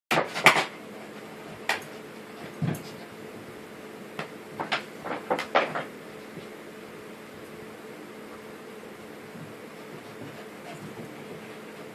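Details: Indoor clatter of cupboard doors and dishes knocking in a small room, with faint speech and a low hum, and no animal voice heard.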